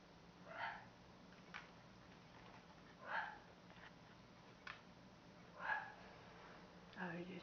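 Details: Elmo, a sweet, well-socialized red nose American Pit Bull Terrier kept as a house pet, gives four short, soft, muffled woofs spaced roughly two and a half seconds apart in a quiet indoor room.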